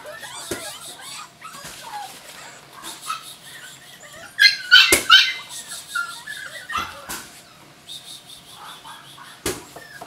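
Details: Several Jack Russell Terrier puppies whining softly, then a sudden burst of sharp, squealing yelps midway before the calls settle back into faint whimpers over background clatter.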